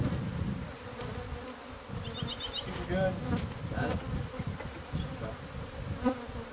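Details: Bees from a hive hidden inside the walls of a house, heard during removal: a steady low hum with an overtone higher up, mixed with scraping and knocking from the work.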